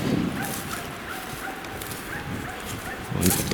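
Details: A Finnish Spitz hunting dog gives sharp, distant barks with long pauses on a windy day in the Sompio wilderness, Finland, possibly a repeat bark at a bird; a man speaks quietly in the background.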